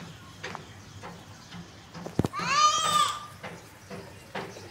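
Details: Kittens at play on grass beside their mother cat: one clear, drawn-out meow that rises and then falls, with rich overtones, lasting under a second, between soft rustling and faint background voices.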